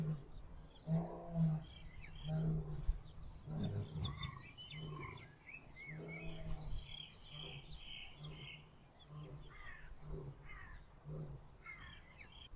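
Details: Lion and lioness mating in the wild: a run of short, low, rough growling grunts in uneven bursts, with birds chirping high above and a steady low hum underneath.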